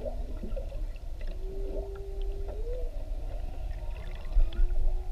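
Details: Whale calling underwater near Maui, captured with a GoPro while whale watching: a drawn-out steady moan ending in an upward bend, then a higher held tone, over deep water and boat rumble.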